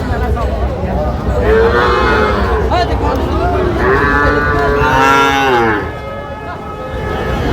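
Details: Calves around five to six months old at a cattle market in Bangladesh, calling repeatedly with drawn-out, bending moos that overlap one another, over a constant murmur of people talking.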